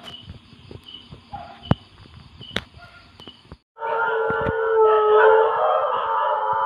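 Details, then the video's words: Dog howling at 2 a.m. After a few seconds of quiet night background with faint clicks, a loud, sustained howl with steady harmonic tones starts abruptly and holds, rising slightly, to the end. "สุดหลอน เสียงหมาหอน ตอนตี2"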